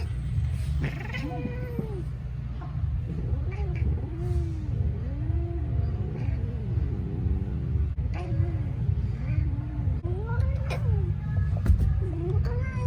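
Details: Talkative young orange male rescue cat at an adoption centre in Pasadena, California, giving many soft, wavering meows and chirps, some rising and falling, over a loud constant low rumble.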